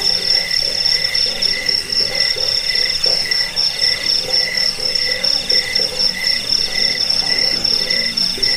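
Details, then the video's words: Cricket sounds recorded to chase off rats, bring sleep and serve as a bird master track; rapid shrill pulsing on a high tone layered with slower mid-pitched chirps and soft low pulsing notes. "Suara jangkik pengusir tikus pengantar tidur"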